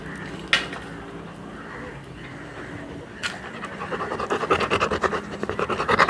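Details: Pet Labrador Retriever being played with at home, quiet at first with a few knocks, then fast rhythmic breathy panting that grows louder over the last two seconds.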